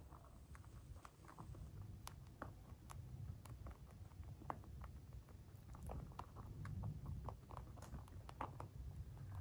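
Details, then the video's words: White dwarf mini lop pet rabbits eating food indoors, recorded close up for relaxation: dense crunchy clicks and snaps, irregular and rapid, over a steady low rumble in a small room. "Crunchy mouth sounds | Cute bunny"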